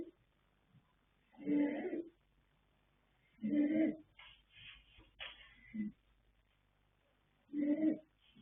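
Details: Yanta, a sleeping colt foal born 21 January 2026 to sire Fast Force and dam Pink Blossom, snores in loud, rough, nasal breaths about every two seconds, with softer breathy sounds between and a quiet room behind.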